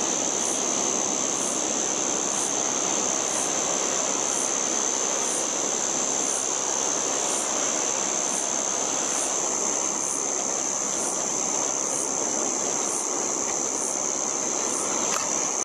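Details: A white drummer cicada (Arunta perulata) behind sand dunes on the northern New South Wales coast, Australia, gives a loud, unbroken, high buzzing drone with a faint regular pulse.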